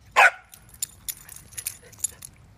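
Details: Corgi during stay and recall training outdoors, giving a single short sharp bark near the start, followed by faint rustling, footsteps and jingling sounds.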